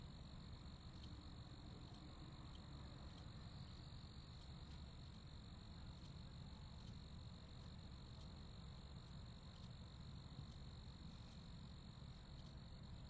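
Crickets chirp in a steady high-pitched chorus over a low, rumbling background hum.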